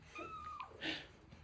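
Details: Blind pet cat calling to her owner from the top of the stairs: a brief flat chirp-like trill followed by a soft breathy burst, quiet room with faint music.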